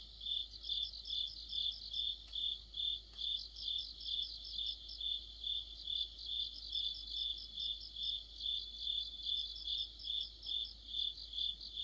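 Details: Autumn chorus of crickets and other insects: a steady, high, shrill trill with pulsed chirps swelling about twice a second, a dense ringing layer over quiet background.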